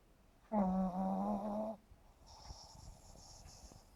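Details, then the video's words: Sleeping pug Yumax, 7.5 months old, gives one strong, buzzing, vibrating snore on the inhale lasting over a second, followed by a breathy, hissing exhale in a quiet indoor space. "храпящий мопс Юмакс"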